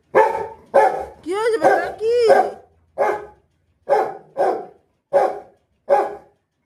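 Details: A Rottweiler that wants to go out for a walk gives a run of short, deep barks with a couple of whiny, rising yelps mixed in.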